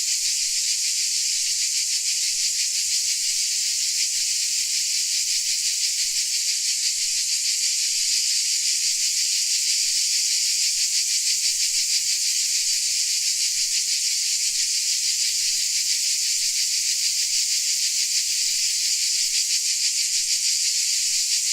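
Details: Crickets from Dalmatia keep up a long, steady high-pitched chorus, a shimmering wall of sound with a faint fast pulse, level and unchanging for over twenty seconds, without other audible sources.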